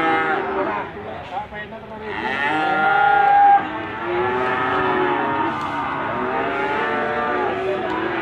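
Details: At Gondanglegi animal market, Malang regency, East Java, 12 February 2020, Limousin calves bellow almost continuously; long nasal moos overlap and rise and fall amid a crowded market din.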